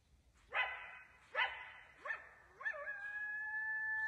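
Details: Wild coyote calling from right below a deer stand in the woods as it grows dark: three quick harsh barks about a second apart, then a rising yelp leading into a steady, sustained high howl.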